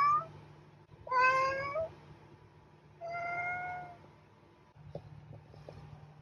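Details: Domestic cat meowing indoors: two drawn-out, harmonic meows about two seconds apart, the first rising then falling, the second steadier and softer, over a low steady hum.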